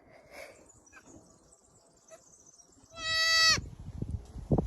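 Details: Little goat with a pink headband lets out one short, tremulous bleat that ends abruptly, followed by bumps and handling noises.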